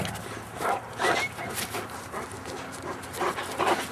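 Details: Great Dane puppies from a 2011 litter: short, high, squeaky whimpers in a few quick bursts, mixed with snuffling, shuffling bumps and a brief faint voice.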